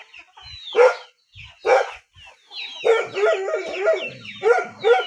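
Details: Rural dog giving a few sharp yelps, then a wavering whine that breaks into quick yips, with thin descending bird chirps running behind.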